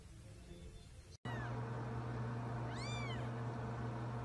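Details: Baby Sphynx cat giving a single short arched meow, rising then falling, heard after a brief dropout over a constant low electrical hum.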